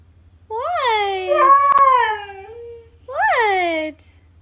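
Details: Atlas the Siberian Husky voices his complaint about being kept from the boys outside, captured on an iPhone XR; three arching howl-like vocalizations with a sharp click midway, separated by brief pauses.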